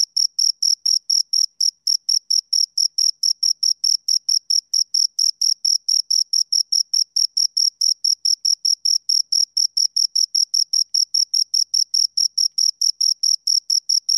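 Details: Pair of crickets stridulating nearby, producing a continuous train of sharp high chirps, roughly two per second, evenly spaced throughout; background otherwise silent.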